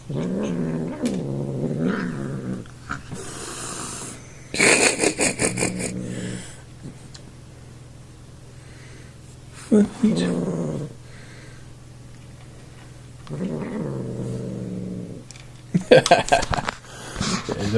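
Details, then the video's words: Male pet cat making odd noises while eating and being poked, at one point snorting like a little piglet; four drawn-out moaning growls with rich harmonics, mixed with sharp, noisy snort-like bursts and short scrapes between them. "Cat making weird sounds while eating"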